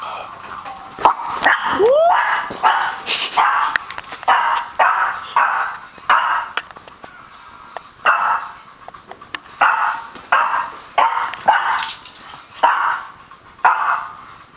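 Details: Pet dog barking excitedly at the front door after the doorbell, running around; loud, sharp barks repeated roughly every second, with a brief whine near the start.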